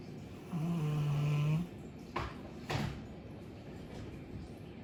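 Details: Chappy, a two-year-old female Labrador Retriever, asleep and snoring loudly indoors: one drawn-out, low rumbling snore lasting about a second, followed by two short soft knocks or rustles in a quiet room.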